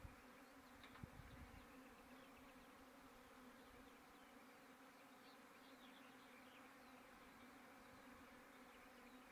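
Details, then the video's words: Bees after rain, making a steady droning buzz with a continuous low hum and occasional faint higher whines throughout. "The bees are very noisy after the rayn"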